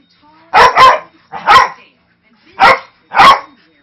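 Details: Five-year-old Manchester Terrier mix, very vocal but harmless, barking while rough-housing with a three-month-old husky-lab mix puppy indoors; four loud, harsh barks, the first a quick double, spaced about a second apart.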